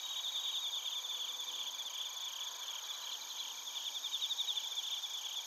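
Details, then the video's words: Bell crickets and other crickets recorded in Narita, Chiba Prefecture, Japan, with a TASCAM Portacapture X8: a dense, continuous high chirping chorus, rapid trilled pulses rising and falling in loudness, steady high ringing tones layered above. "スズムシとコオロギの鳴き声 - Chirping of crickets"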